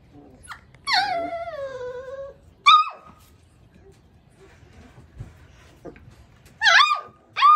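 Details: Upset one-month-old Labrador puppy makes a long, falling, tonal whine, then high, clear yelps that rise and drop sharply, coming in isolated bursts after quiet stretches.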